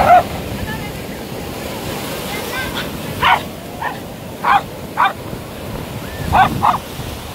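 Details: At a Kerala beach, a 6-year-old Lhasa Apso named Kalyani (Kallu), back after six years, yaps in quick clipped barks, sometimes paired, amid constant crashing waves and a little talking.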